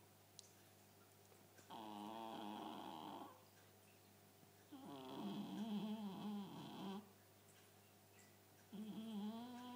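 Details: Loud snoring from Cléo, a Chartreux, indoors: long grating snores of one and a half to two seconds with buzzy, fluttering harmonics, three in a row separated by quiet pauses over a faint constant hum.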